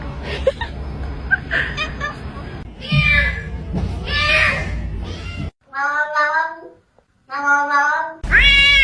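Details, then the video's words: Pet cat indoors gives several separate harmonic meows, each rising then falling, with short pauses between them. They follow a woman's speech and background music. "The unique sound of cats"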